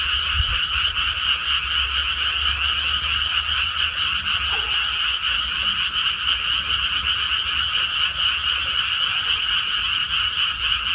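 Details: A paddy-field frog chorus heard after rice planting: unbroken, fast pulsing croaks from many frogs blend into a steady high trill. A brief low thump comes near the start.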